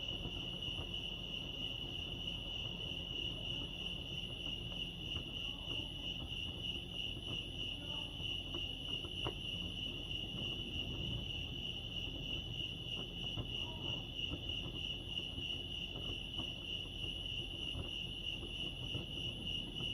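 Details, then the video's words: Chorus of crickets at Lake Arrowhead in California, a continuous high-pitched pulsed trill at an even pitch, over faint low ambient noise and a few soft clicks. "Serenity sounds crickets chirping lake arrowhead"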